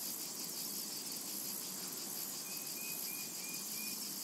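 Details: A steady, high, sizzling drone of cicadas fills this summer meadow, and in the second half a small bird adds a quick run of five short chirps.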